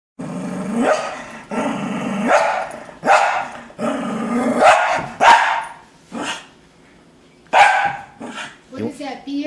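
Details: Roxy, a female Cocker Spaniel, keeps up insistent demanding vocalizing for beer indoors: long moaning, whine-like sounds of a second or more, several in a row with short gaps, a man's voice and a few sharp clicks mixed in.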